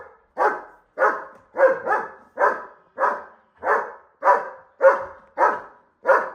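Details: Barking German Shepherd that wants to fight a bull: a steady run of eleven rough, mid-pitched barks spaced roughly half a second apart, each ending abruptly before the next.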